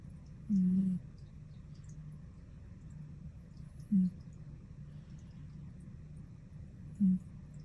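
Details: Sleeping cat snoring: three short, low, humming snorts with a faint upper overtone, spaced about three seconds apart, over a quiet indoor hum.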